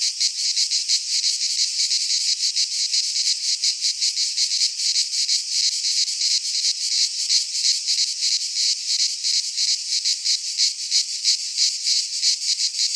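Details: Cicadas singing in midsummer in a pine forest in Greece, a dense, continuous buzzing chorus high in pitch, pulsing rapidly about three times a second with steady loudness throughout.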